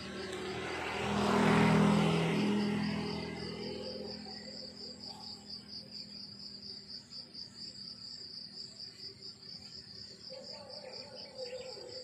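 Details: Crickets chirp in a steady, high, pulsing trill in the countryside in the morning while a vehicle rumbles past at the start.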